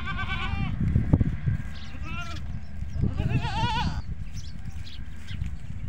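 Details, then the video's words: Goat on a goat farm calling so that its kids come near. A short bleat opens, then a brief nasal cry and a longer wavering bleat, with murmured human voices and low background noise. "Goat Farming Mein Bakri Ka Awaaz | Huge Goat Sounds"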